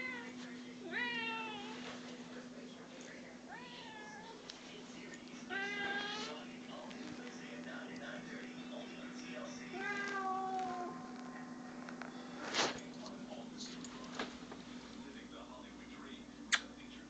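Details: Pet cat Cope meows for attention indoors: four or five drawn-out, wavering meows spaced a few seconds apart, over a steady low electrical hum, with a few faint background knocks.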